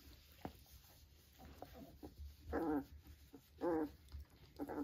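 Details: Vizsla puppies, three weeks old, beside their mother: three drawn-out, quavering whimpers about a second apart rise out of quiet shuffling, snuffling and faint mouthing sounds.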